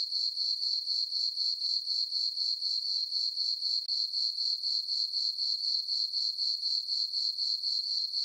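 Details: Night-time crickets in a moonlit summer meadow on a farm; a thin, high chirping pulses steadily about four times a second, with a momentary gap near the middle and a quiet background otherwise.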